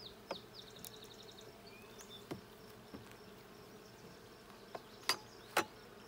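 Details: Bees in a blue hive during a hive check on June 20, 2022: a steady, low droning hum with layered tones, broken by scattered sharp clicks and knocks from handling the hive.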